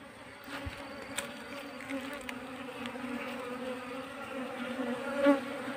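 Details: Steady buzzing hum of wild Asian honey bees being shifted into a cultivation box, low droning bands with scattered soft knocks and a brief louder swell of buzzing near the end.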